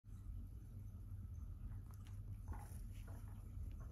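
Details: Two-year-old Siberian Forest cat indoors, a steady low rumbling purr held throughout with faint soft clicks and rustles above it.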